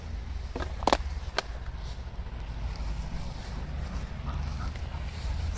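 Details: Low rumbling outdoor background noise with a couple of brief knocks near the start and no animal calls.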